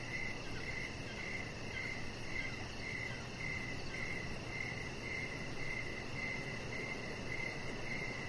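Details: Crickets chirping outside in the evening beside a deck lit with decoration lights: steady, even rows of short high pulses repeating without pause, plus a fainter, finer pulsing far higher, over a constant low rushing background hum.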